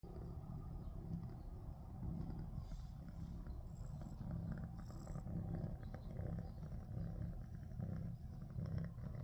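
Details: Domestic cat that had been badly frightened by an attack from a big cat the night before, purring steadily: a low, continuous rumbling drone with soft rhythmic pulsing throughout, no other clear sounds.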